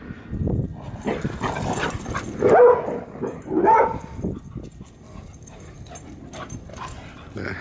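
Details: Dogs at a gathering of four named Marley, Piper, Jake and Bandit. A few short whining yips rise and bend around 2.5 and 3.7 seconds over a background of people talking and general household noise.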